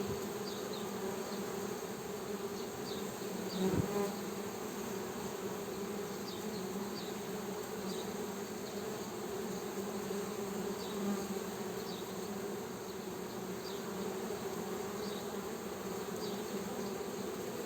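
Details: Honey bee buzzing, a steady low hum with a lower and a higher drone band, plus faint repeated ticking higher up and a brief louder burst near four seconds.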